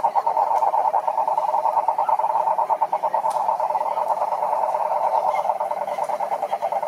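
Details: Chorus of wild cane toads, Rhinella marina, calling at a lake in the Brazilian Atlantic Forest: a dense, unbroken buzzing trill of rapid pulses holding one mid pitch for the whole stretch, with faint scattered clicks above.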